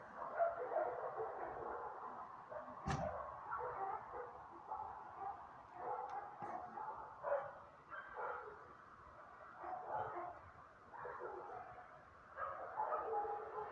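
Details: Neighbourhood dogs keep up a barrage of overlapping barks that rise and fall in loudness. A sharp click sounds near the three-second mark.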